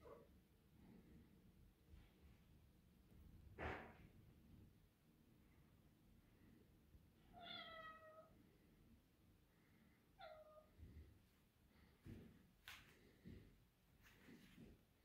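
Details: Indoors in summer, house cats Shiro, a male tuxedo, and Keera, a grey and white female, chase insects; two brief descending harmonic chirps stand out among taps, thumps and room noise.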